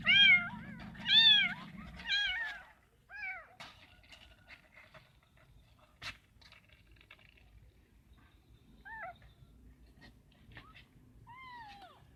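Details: Abandoned kitten found in bushes calls with a run of loud arched meows at first, then quieter, sparser mews after a pause, among faint clicks and rustles.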